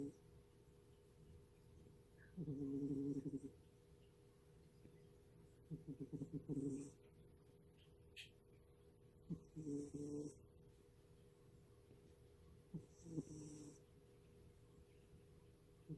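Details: A pet cat asleep and snoring in a quiet room with no background music. Soft, low rasping breaths come in short bursts roughly every three to four seconds, with near silence between them.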